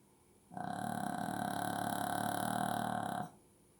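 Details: A sleeping Shih Tzu snores in a small indoor room: one sustained, buzzy, fluttering drone about three seconds long, starting and stopping abruptly, with a steady mid-pitched tone over rough low rumbling.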